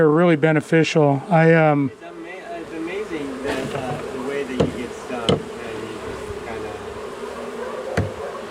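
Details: Angry honey bee colony, long established inside a house wall, buzzing after dark on day one of a March 6 cutout rescue; a man speaks briefly at the start, then a steady, droning hum holds one low pitch with a few sharp knocks.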